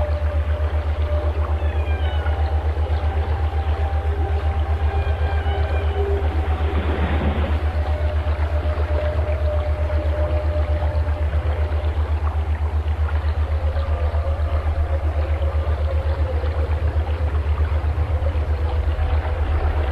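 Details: Whale song with long steady mid-pitched tones held for several seconds and faint upswept cries, broken by a brief noisy splash-like burst. A continuous rapid low hum or engine pulse runs beneath everything.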